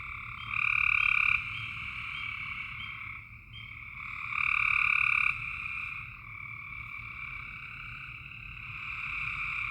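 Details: Nighttime frog chorus in Tennessee, continuous overlapping trills forming a steady high drone, with two louder bursts of about a second each standing out against the background, faint low hum throughout.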